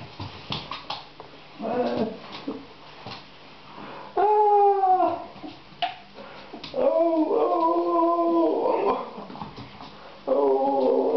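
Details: An 11-week-old puppy at play gives drawn-out, wavering howls, rising then falling in pitch. Three main howls, the longest about two seconds, are mixed with short yips and whimpers, with household rustling between.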